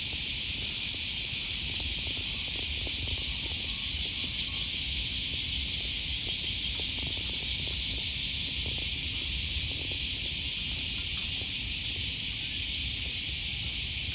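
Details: Cicadas on an August 2020 morning along the Okawa River near Sakuranomiya Park, Osaka, Japan: a dense, unbroken high-pitched buzzing chorus with a faint shimmering pulse, over low city rumble and footsteps.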